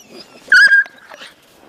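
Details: Dog Sobol, a breeding male, pesters the female Taina while visiting relatives as she rebuffs his advances; a single high, steady whining yelp lasts about a third of a second, framed by faint shorter rustles and murmurs.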